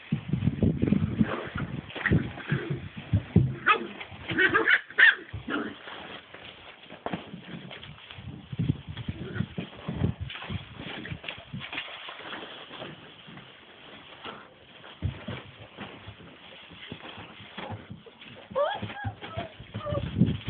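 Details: Seven-week-old rescue puppies at play in a pen: constant scuffling and thumping, with scattered short yelps and whimpers and a brief rising squeal near the end, over a muffled, low-fidelity background.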